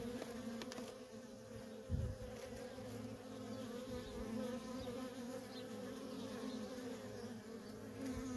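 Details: Feral colony of honey bees, workers coming and going nonstop; an even, low humming drone carries throughout, with one brief close pass early on.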